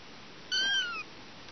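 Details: A single clear meow from a mother cat with her kittens, high and thin, gliding gently downward over half a second, in a quiet room.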